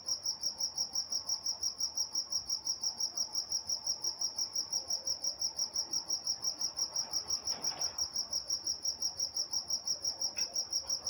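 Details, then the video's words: A night-time cricket in Walnut, California gives an evenly spaced, high-pitched chirp about three times per second without a break. A brief soft knock sounds in the background near the end. "Nature Sounds Night Time Crickets in Walnut, California"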